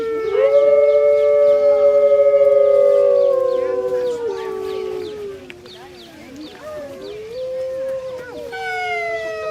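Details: Captive grey wolves howling together at Artis Zoo on 10-11-2013, recorded on a phone. Long, smooth overlapping howls hold steady and then slide gently downward, with lower voices in harmony. A fresh, rising howl starts after a short dip.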